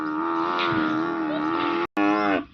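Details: Banni buffalo on a farm in Kutch, Gujarat, near Nakhatrana, on a rainy day with mud everywhere. It gives a long, steady, tonal bellow of about two seconds, pauses briefly, then adds a shorter call that fades and drops away.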